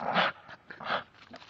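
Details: Oreo, a two-year-old male American Staffordshire bull terrier, tearing down a tree, gives two short, rough bursts about 0.7 seconds apart while a person urges him on with "Get it!"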